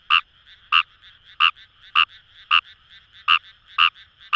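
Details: In rice paddies by the Kamo River in Itoshima, Fukuoka, Japan, a wild Kawamura's rice frog gives eight sharp, clipped croaks in about four seconds at slightly uneven spacing, with a soft frog chorus humming behind.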